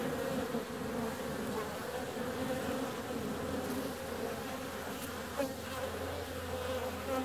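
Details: Honey bees flying out on a warm February day: a dense, continuous buzzing drone from many wings, with individual bees swelling briefly louder as they pass, over a steady low hum.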